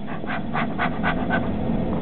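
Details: A male cairn terrier, rescued from a shelter, jumping about with excitement at seeing a human friend indoors; quick, rough panting breaths come about four per second throughout, with no voice over them.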